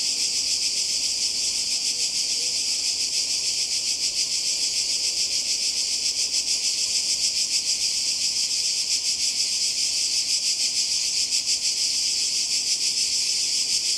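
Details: Coastal Croatia in summer 2020: many cicadas buzz together in a loud, even, high hiss that throbs quickly, with slight swelling pulses in the second half and no other clear sounds.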